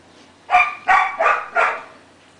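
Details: Dog from the pair named Loki and Titan giving four sharp, harmonic barks in a quick burst, roughly one every third of a second, the last one trailing off longer; quiet room otherwise.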